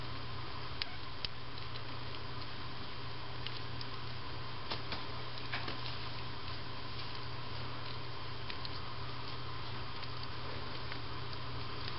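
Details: Indoor room hum with a low drone and scattered soft ticks and patters; no animal calls are heard.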